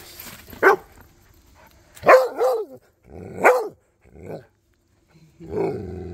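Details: Cody, a Rhodesian Ridgeback, chatting with Duchess and the neighbor dogs: a few short, sharp barks spaced about a second apart, one with a wavering tail, then a lower muffled bark at the end.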